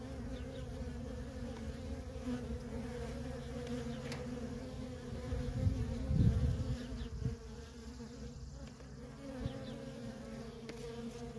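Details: Worker honey bees in nonstop traffic at a feral colony: a dense, steady droning hum from many bees, swelling louder for a moment near the middle, over a low rumbling background.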